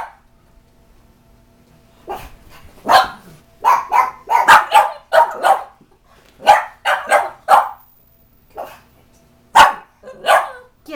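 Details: A female reverse brindle Bugg puppy (Boston Terrier–Pug mix) barks in sharp, repeated bursts, some yelping and higher-pitched, as she freaks out at a cat statue while a pug tries to settle her.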